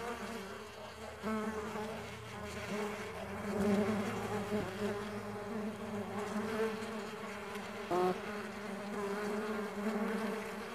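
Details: Stingless bees kept on a farm, a dense continuous buzzing of many insects with gently wavering pitch, slight swells in volume and a brief sharp knock near the end.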